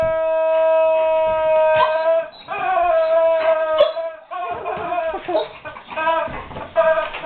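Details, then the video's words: A guard dog unsure what to make of a squeaky toy whimpers: first a steady held tone, then wavering, breaking whines that rise and dip in pitch. "Guard Dog Whimpers over Squeaky Toy"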